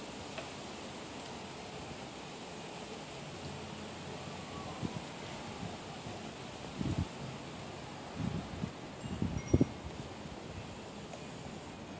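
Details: Outdoors, wind chimes ring softly over rustling leaves and breeze, broken by a few dull thumps.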